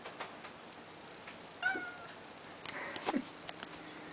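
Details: Neo, a house cat eager to go out into snow he has just discovered, lets out one brief meow amid soft handling noises and light thumps indoors.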